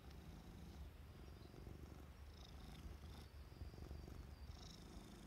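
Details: Purring from Ajiko the cat, seen alongside a mantis: a dense, pulsing low drone that holds evenly throughout, with light scratchy noise above.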